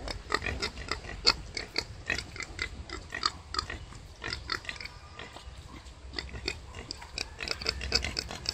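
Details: Wild boar sow delivering five piglets: continuous patter of short grunting pulses and small squeaks, irregular but nearly constant, with faint low background hum throughout.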